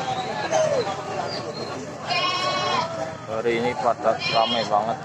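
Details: Goats at the Cilongok goat market in Banyumas, where hundreds were brought from villages ahead of Eid al-Adha: a loud, wavering bleat of about a second, then several shorter quavering bleats, over busy crowd chatter and voices.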